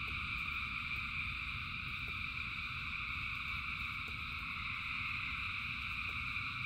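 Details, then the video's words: Rain-soaked frog chorus, thousands of frogs singing together as a seamless high-pitched buzzing hum in bands, steady loudness, with a deep noisy rain rumble and a few faint ticks beneath. "Frogs in Rain 2 Hours of Frogs, Thousands of Frogs Singing"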